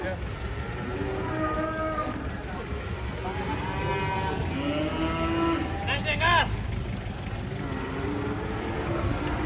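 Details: Agitated banteng that escaped during unloading from a truck moos in several long, low drawn-out calls over steady engine rumble, with a short sharper cry midway.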